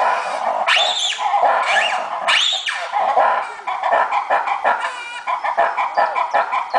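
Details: Opole Zoo monkeys let out three loud, upswept wailing calls, then break into a fast, uneven run of short chattering notes, while murmuring visitors fill the background.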